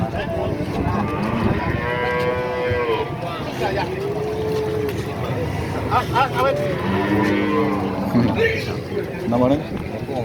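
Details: Cattle at the Pahing livestock market, Nganjuk, Indonesia; low sustained lowing comes in three or four drawn-out calls against a dense background of crowd talk and market bustle.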